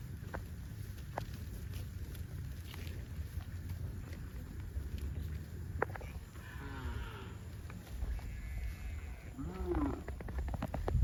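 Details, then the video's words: Cattle heading to a rural field; two drawn-out, harmonic moos, one midway and a deeper one near the end, rise over a steady low rumble of moving hooves and scattered clicks. "COWS MOOING"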